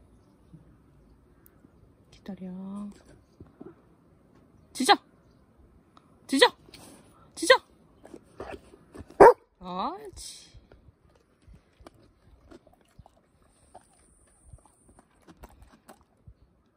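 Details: Labrador Retriever barking on command during a training session before eating cucumber and cabbage; a few short, sharp single barks spaced one to two seconds apart, between a person's spoken commands, then quiet with faint small clicks.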